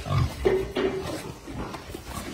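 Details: Berkshire x Pietrain gilt on a hog farm: brief low, rough grunts open the recording, followed by a steady mid-pitched hum and faint background noise.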